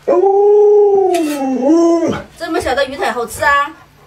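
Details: Long steady howl from Luoluo, a household Alaskan Malamute reacting to its masked owner. The note holds level, dips, and rises briefly before breaking off into human speech.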